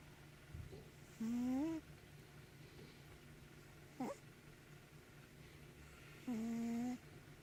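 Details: A sleeping house cat snoring in a small room. Two longer whistling, nasal wheezes are separated by a brief squeak-like breath, with quiet pauses and a low background hum between them.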